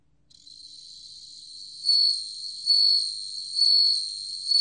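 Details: Bell cricket song, from the National Institute of Biological Resources, 2020: a high, ringing continuous trill that fades in, then swells louder roughly once per second in bell-like pulses.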